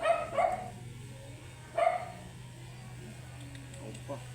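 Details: Angry at grooming, a matted Shih Tzu snaps out two brief yapping barks about a second and a half apart over the constant low drone of grooming equipment.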